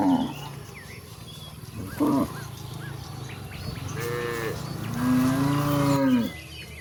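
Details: Cattle roaming toward a very wide pasture: a short low moo near two seconds, then two long, drawn-out harmonic moos, the last rising and falling over about a second, with small chirping birds and a steady low hum behind.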